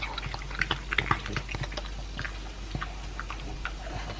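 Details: Two-year-old pug Elvis chewing his dry food with beef meat. Sharp, crackly crunches and moist lip smacks come in irregular bursts, some brighter clicks standing out, with no other sounds.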